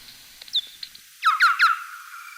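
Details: Bat social calls used for communication between bats, recorded in Ariège, France, and made audible by an ultrasound detector, sound as a quick run of chirping, downward-sweeping notes.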